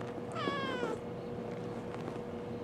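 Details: Kitten replying to its owner's questions with a short meow, under a second long, that falls away quickly, followed by quiet room hum and faint low background noise.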